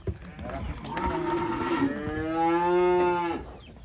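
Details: A long, drawn-out moo from a cow getting off a truck: a low harmonic lowing that swells and holds steady for over two seconds, then fades, preceded by a few thumps.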